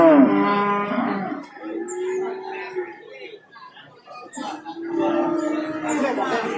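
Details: Cattle at the Babat cattle market in Lamongan, East Java, on Tuesday 29 September 2020: a harmonic, low moo of about a second and a half, then a quieter pause, then a second drawn-out moo, with market noise in between.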